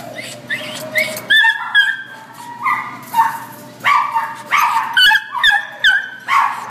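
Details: Black and tan Chihuahua at Devore, giving sharp, high-pitched barks and yips in irregular bursts, some pitch-sliding upward, roughly two per second, with a low background hum.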